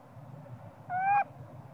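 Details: Young monkey crying out because it wants its mother to nurse it, possibly hungry: one short, tonal, slightly rising wail lasting about a third of a second against a constant low rumble.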